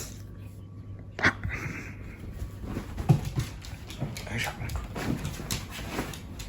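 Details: Shiba Inu scolding its owner first thing in the morning in a very cute voice: one brief, high, strained whine early on, then softer low whimpers mixed with quiet speech and indoor room noise.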